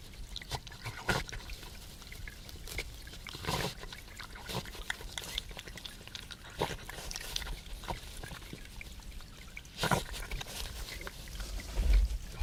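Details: A European badger feeding, heard on a wildlife livestream with the volume raised: busy, energetic eating with irregular crunching clicks, wet smacks and snuffling snorts, a few louder bursts, over a low steady rumble.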